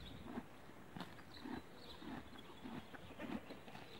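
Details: Horse. A horse grazes close by, tearing grass in short crisp pulls. Low crunching chews follow roughly once a second over a quiet outdoor background.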